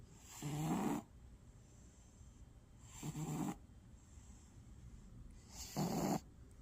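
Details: A black cat snores in its sleep, three coarse, rasping breaths spaced about two and a half seconds apart, each lasting around half a second, over a steady faint hiss.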